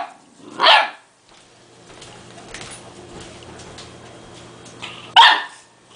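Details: Male Dogue de Bordeaux puppy, two months old, barking at a small toy that scares him: one loud bark, a long quiet stretch with faint room noise, then a second harsh bark near the end.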